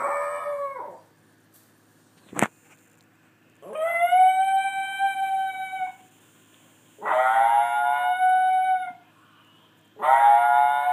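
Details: Wolf named as little and howling over his girlfriend; long harmonic howls, each about two seconds, rising then held steady, repeated three times with pauses, plus a single sharp click between the first two.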